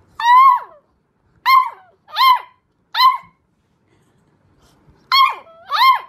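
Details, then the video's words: Puppies howling for the first time: six short, wavering yelping howls, each about half a second long and dipping in pitch at the end. They come in bursts with brief silent gaps over six seconds, in a quiet room. "Cute Puppies Howling For the First Time"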